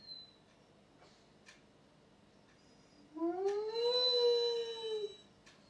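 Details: Rossi, a Weimaraner dog, lets out one howl after about three seconds of near quiet: a smooth tone that rises, levels off and holds for about a second with rich overtones, then eases slightly downward and stops. A few faint clicks come before it.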